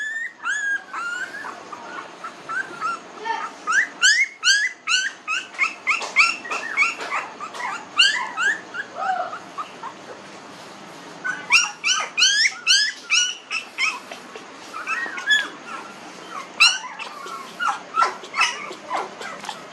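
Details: Newborn puppies, 19 days old, kept in a village, whimpering and squealing in a busy overlapping chorus; high, rising-falling yelps come in rapid bursts, several pups calling at once with brief pauses between clusters.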